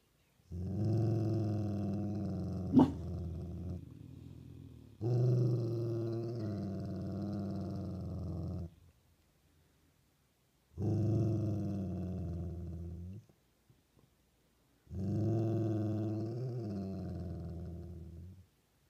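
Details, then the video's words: Dog growling in four long, low rumbling bouts of about three to four seconds each, separated by short pauses, with one brief sharp click early on; a quiet indoor setting otherwise. "Doesn't want Casey involved with his growling"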